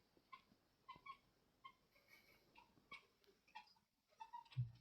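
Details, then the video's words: Domestic cat making weird sounds: short, bright chirping calls in quick clusters, repeated about every half second to second with brief pauses, fairly quiet throughout, with one louder chirp and a low thump near the end. "Why Does My Cat Make These Weird Sounds?"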